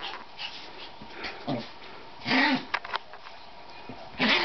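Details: Male and female chihuahuas playing on a bed in what is called a mating dance; short huffing growls and snorts come in bursts, with bedding rustling between them.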